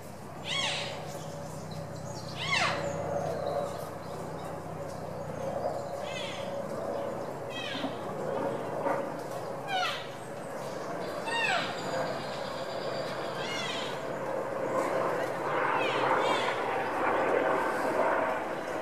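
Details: A rutting wapiti (elk, Cervus canadensis) stag at Tierpark Berlin in September 2015 gives high, whistled rutting roars that rise and fall every few seconds, displaying in posture during the autumn mating season.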